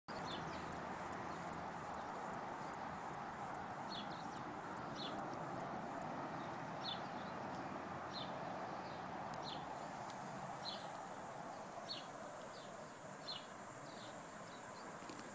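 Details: Cicada. A cicada starts with sharp, high-pitched buzzy pulses, about three each second, then pauses before launching into a continuous shrill drone. Faint chirps sound softly in the background.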